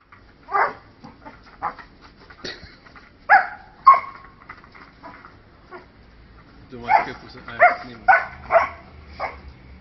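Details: Female Alaskan Malamute playing with her favourite basketball toy, angry because she wants to bite it but cannot; short gruff barks and yips in scattered bursts, a cluster of rapid ones near the end, with a person's voice in between.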